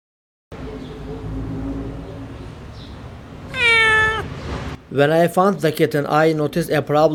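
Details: Abandoned kitten, rescued after two days freezing in snow at -11°C, gives one drawn-out, downward-sliding meow, followed by a person talking over the quiet background.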